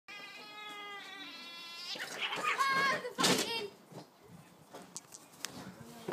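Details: Siamese cat in a fight: a drawn-out, wavering yowl rich in overtones fills the first second, followed by harsher, louder cries and bursts of scuffling noise, then quieter, scattered sounds.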